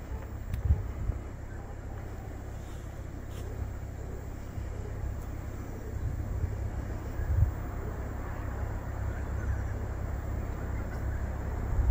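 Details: Continuous low rumble like wind or traffic, with a few faint clicks.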